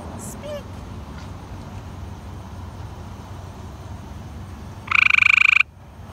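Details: Frog on a fence post beside an azalea bush outside a McDonald's in Whitehouse, Texas, one of two frogs there, recorded 7-3-18; after a quiet stretch with faint traffic comes a single loud, buzzy pulsed trill lasting under a second.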